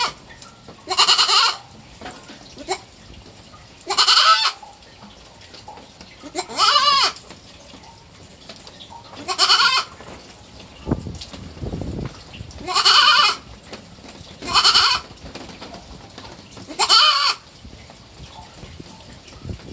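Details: Three-month-old pet baby goat kid bleating: seven loud, wavering, nasal bleats, each about half a second to a second long, repeated every two to three seconds over quiet background.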